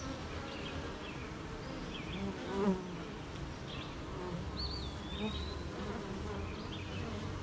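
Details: On a rainy morning, a beehive of honey bees gives off a continuous low drone. One bee swells louder as it passes close, and a wavering bird whistle sounds midway through.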